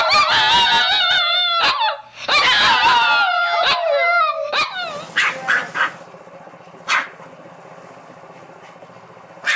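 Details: Small dog making high-pitched vocalisations, long wavering whiny howls with bright overtones for about five seconds, then quieter with a few sharp clicks and a last bark.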